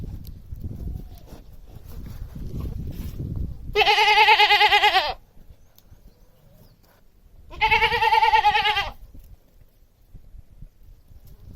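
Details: Pair of long, wavering goat bleats about four seconds apart, loud and nasal with strong vibrato, over low rumbling background noise that fades after the second call.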